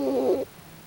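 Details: Pochi, a pet raccoon dog, snoring while asleep: a single short, tonal, nasal breath sound lasting under half a second, then quiet.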